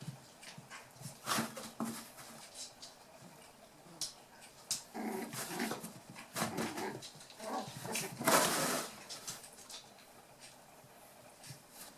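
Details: Playing Toy Poodle puppies, eight weeks old and from Tami's final litter, trade rough little growls and yips in several bursts, mixed with scrabbling, bumping and rustling sounds of their indoor tussle.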